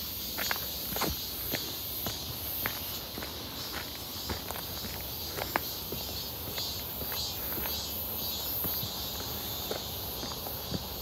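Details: Cicada chorus heard on a walk near Seonbawi, 1 August 2023, clear and hot: an unbroken sizzling high drone, with crisp footsteps tapping along at a steady pace in front.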